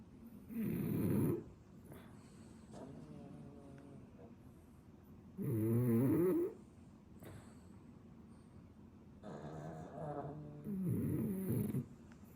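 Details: A ten-year-old French Bulldog and a puppy snore in their sleep. Loud raspy snores come roughly every four to five seconds, some with wavering nasal whistling tones. Softer breathing fills the gaps.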